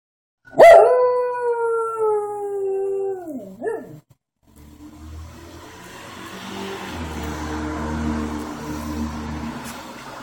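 A fox gives one drawn-out, falling howl that twists upward at the end.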